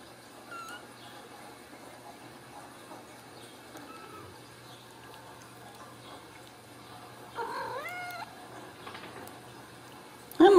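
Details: Ragdoll kitten raised in a home cattery in central Kansas, mother cat nearby, giving faint thin mews early on, then a louder drawn-out rising-and-falling meow around seven seconds; quiet room, a sudden thump at the end.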